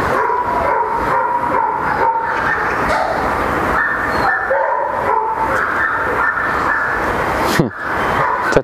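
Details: Two flat-backed German Shepherds, a mother and her daughter reunited after a year apart, hesitate to approach each other; high thin whines and yelps repeat over a steady hiss of background noise, with a clatter near the end.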